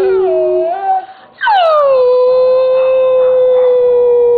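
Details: Howling from three Siberian Huskies, Simba among them, encouraged to perform on cue. Two drawn-out tonal howls, the first wavering then dipping, a short pause, then a steep rise into a long, level, slowly sinking note.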